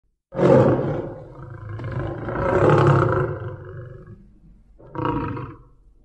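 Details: A tiger seen at night in the Palasur forest, Madhya Pradesh, gives deep, rasping roars that swell and fade over several seconds.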